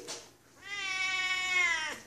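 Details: Female Siamese cat, a house pet, meowing for love and attention after her owner returns from a business trip: one long, loud, drawn-out nasal meow rising then falling, preceded by a short faint chirp, indoors.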